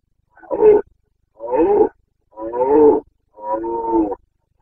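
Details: Carpathian red deer stag roaring during the breeding season, 29 September 2022, Bucovina mountains, Romania: four loud, harmonic, hoarse roars about one second apart, each a half-second to one-second burst, with no other sounds.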